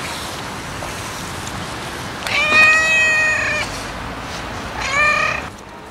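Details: Two cat meows over constant background noise: a long steady flat cry lasting over a second, then a shorter, fainter one about two seconds later.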